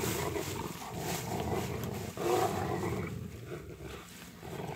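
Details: During a winter walk with light snow falling, three Rottweilers play with a stick: a continuous deep, raspy growl with a sharp louder surge near two seconds, then a gradual fade.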